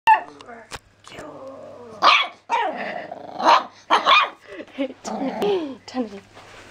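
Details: Seven-week-old black and white Jack Russell Terrier and pug cross puppy barking loudly for the first time, going crazy at a squeaky toy: short high yappy barks in irregular bursts, with quieter voice-like sounds between.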